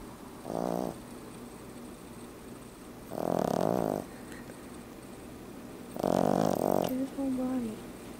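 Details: An 11-week-old French Bulldog puppy snores while sleeping, in rough, rattling bursts about every three seconds.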